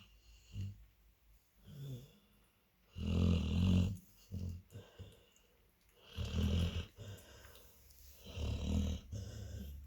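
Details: Labrador Retriever puppies and their mother sleep together, snoring in deep, rumbling breaths, with loud snorts about every three seconds between softer wheezy inhales.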